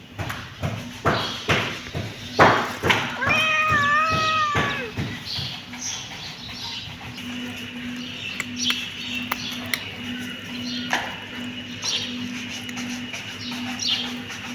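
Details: Kitten meowing: a few short calls early on, then a clear rising-and-falling harmonic meow near the four-second mark, followed by quieter scattered sounds over a steady background hum.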